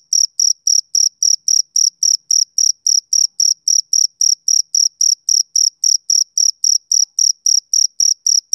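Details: A male cricket calls through a summer evening with an unbroken run of roughly thirty high, trilling chirps, metronome-like at close to four per second, the background otherwise silent.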